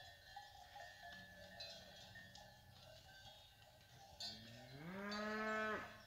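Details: Ganado bravo cows with calves descending from the hills: cowbells clank for several seconds, then one loud, rich moo swells upward in pitch and holds before cutting off, with a faint low lowing earlier.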